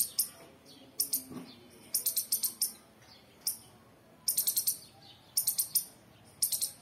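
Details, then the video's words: Chirping squirrel gives short, piercing high clicks, some single and some in quick runs of three to five. The pattern repeats irregularly across the stretch with faint background hiss between calls. "Squirrel chirping"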